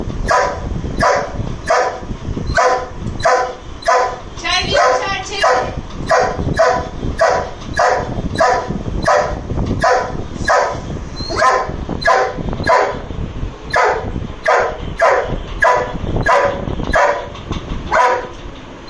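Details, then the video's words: An angry Dobermann keeps up nonstop barking at a lizard, loud gruff barks repeated quickly and fairly evenly for almost twenty seconds, with a brief human voice briefly mixed in near the start. "Angry Doberman barking at Lizard"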